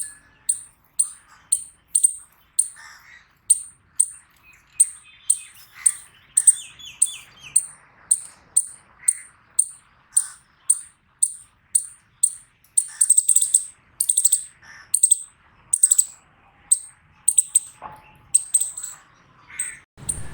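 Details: Repeated piercing chips from an eastern chipmunk, evenly spaced at roughly two per second for most of the stretch, breaking into denser stuttered bursts later, with quiet lower chirping behind.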